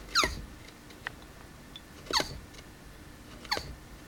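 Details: Pet male tortoise named Reba giving his mating call indoors: three short, sharp squeaky bursts, each sweeping downward with bright upper harmonics, spaced about one to two seconds apart, over a quiet room background.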